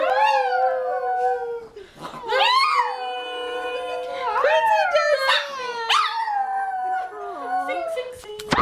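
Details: A dog performs a taught singing trick, giving long, wavering howls that swoop up and slide down in pitch.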